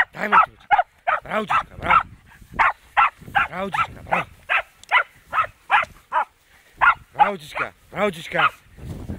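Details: Fox terrier barking during its first encounter with a wild boar: rapid, sharp barks in an uneven series of about two or three per second, continuing throughout, with a faint human voice in the background.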